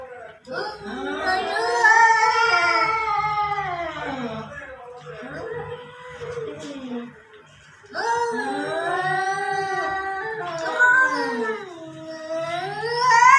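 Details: Fighting cats outdoors by a house trade wailing yowls. Two main drawn-out bouts with wavering pitch bend downward at their ends, separated by a quieter, broken stretch of lower moans.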